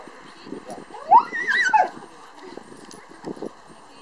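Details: A husky at a husky gathering in Naklo, 11 March 2012: one sweeping, wavering howl climbs and then falls over about a second, surrounded by crowd chatter and scattered noise.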